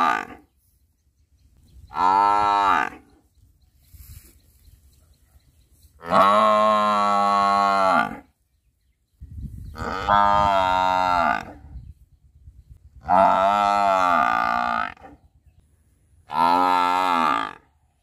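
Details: Repeated buffalo bellows: five separate moaning calls, each lasting one to two seconds and spaced a few seconds apart, some rising then falling in pitch, with quiet low background noise between them.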